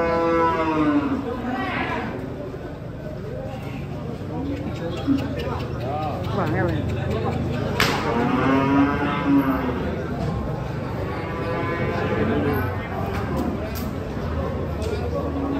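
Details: Giant cattle being unloaded from a truck, giving long, deep moos with rich stacked harmonics. Several drawn-out calls rise and fall through the recording over a steady background of voices and crowd noise.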